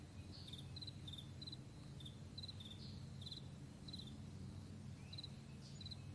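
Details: Crickets in a vast meadow in the morning, recorded May 9, 2020, give short high pulsed chirps in quick pairs and triplets, repeating roughly every half second, over a steady low rumble like a distant plane.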